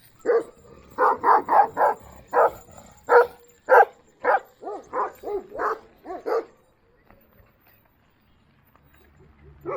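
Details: Deep, harmonic barks from Duman, an old-style Kangal. A quick run of about a dozen barks over six seconds is followed by near silence, with one last faint bark at the very end.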